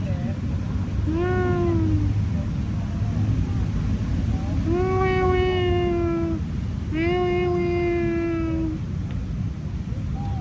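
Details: Tabby cat in Lumpini Park on an August evening around 6 PM, giving drawn-out, slightly falling meows, three clear calls a few seconds apart over steady low park rumble and background noise.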